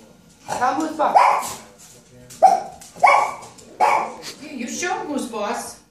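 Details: A small female Chiweenie gives sharp, high barks in short bursts, with a person's voice in between. She barks at a tea brewer when it starts brewing because its grumbling, hissing noise makes her think it is barking at her.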